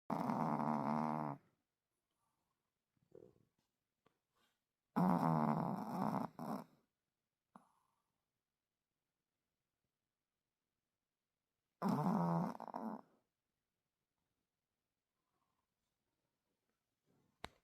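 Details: Yorkshire Terrier dog snoring at 4 a.m.: loud rasping snores in bursts of about one to two seconds, separated by long silent gaps, with a few faint soft breaths between.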